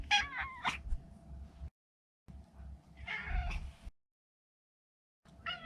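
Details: Maro, a neutered male Maine Coon kept as a pet, makes quick, wavering, squeaky meows amid rumbling low handling noise, pausing briefly before another short burst.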